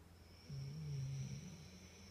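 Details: A sleeping husky snores: one low, rumbling breath lasting about a second in the middle, with quiet before and after and a faint steady high-pitched hum in the background.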